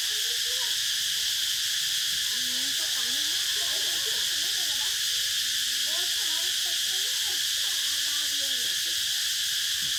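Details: Cicadas calling in a dense, unbroken high-pitched buzzing drone that holds steady throughout, with faint wavering lower voices or calls drifting underneath.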